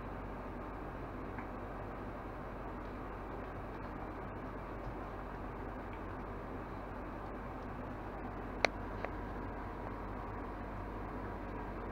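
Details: Quiet indoor hum and faint background hiss with one brief click near the ninth second; no animal sound is heard.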